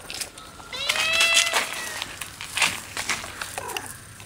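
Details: House cats that dislike a new abandoned puppy trying to scare it off as it approaches: a drawn-out harmonic wail sliding slowly downward, followed by short breathy hisses.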